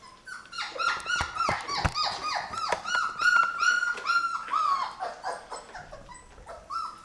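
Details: Labrador retriever puppies aged 23 days, newly started on puppy food and crowding each other; rapid chorus of short whines and squeaks with a sustained high whine running through, clicks of eating between.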